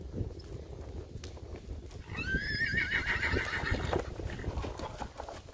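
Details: Breton mare on her fourth ridden session, starting work in the arena: one wavering, quavering whinny of about a second and a half, set against steady hoofbeats and low rumbling noise.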